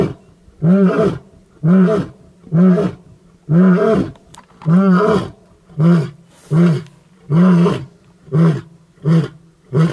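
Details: A male lion in the Maasai Mara gives a series of deep, grunting roars about a second apart, slowly quickening, in the morning near his mating brother.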